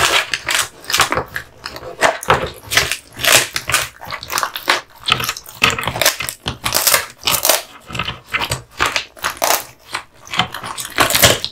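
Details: Kotetsu, a male American Bully (Pit Bull) born in 2016, gnaws duck spine jerky indoors; dense crunching bites come in quick bursts, roughly two or three per second, with short pauses between.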